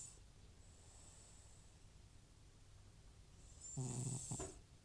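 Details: Sleeping elderly cat Butcher, FIV-positive, breathing quietly then letting out one loud rumbling snore near the end, a low harmonic buzz with a breathy hiss over it, in a quiet room.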